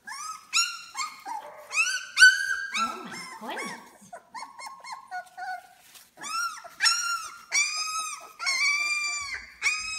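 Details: Two-week-old British Labrador Retriever puppies, six in the litter, whelped May 7, 2016, whine loudly in a small room: clear high, arched squeals repeated in fast runs, with short low grunts between bursts.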